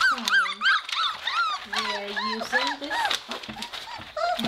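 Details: Rada's Weimaraner puppies indoors in a messy kennel, first time using a pellet-filled litter box during potty training. Many overlapping high, arched whimpers and yips come in quick succession with some held lower whines, and a person speaks alongside.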